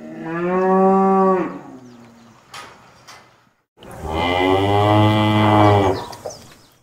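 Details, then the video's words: Cow lowing twice: a harmonic moo of about one and a half seconds that dips at its end, then after a brief silence a louder, deeper, fuller moo lasting about two and a half seconds. "牛の声 Cow voice"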